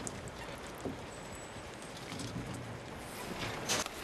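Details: Quiet watery background hiss with faint splashing and rustling, no animal voice heard.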